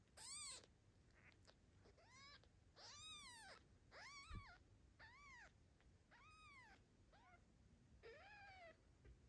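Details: Small kitten looked after by its daddy cat in the mother's absence, calling with a rapid series of about eight high, arched, harmonic meows, each under half a second, spaced roughly one second apart in a quiet room.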